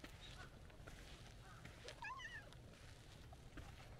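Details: White-and-orange stray cat by a roadside, meowing as it walks up to a person and seeks affection; one short harmonic meow, rising then falling, at mid-clip over a steady low rumble of background noise.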